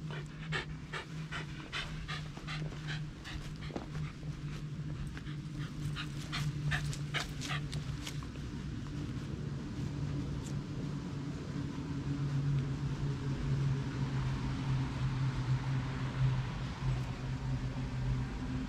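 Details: Shiba Inu at home, disappointed after being led to expect a walk, filmed on a GoPro Hero8: steady breathy panting at roughly two breaths a second, with sharp taps and clicks early on and a low steady hum underneath.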